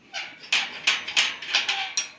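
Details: Kittu, a female Siberian Husky, excited at hearing talk of going out while waiting at the gate for it to open: seven short, high, strained yelping cries in rapid succession, roughly every quarter second.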